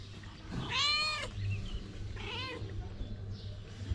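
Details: Hungry stray mother cat in Morocco asking for food so she can make milk for her kittens; two loud, drawn-out wavering meows, the first longer and rising then falling, the second shorter, over a steady low hum.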